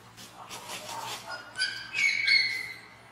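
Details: Alba, a baby capuchin monkey, screams after being hurt when her mother slaps her on the ground: softer noisy cries, then high, thin, tonal screams that rise and hold briefly in the second half, in a quiet room.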